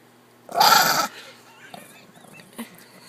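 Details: Angry Chihuahua in a laundry basket gives one loud, harsh snarling growl of about half a second, followed by quiet rustling and a soft owner's voice.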